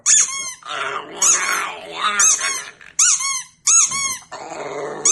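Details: Pug howling and making odd vocal sounds in response to squeaky toys: rough growly, whining howls alternating with loud high-pitched rubber toy squeaks.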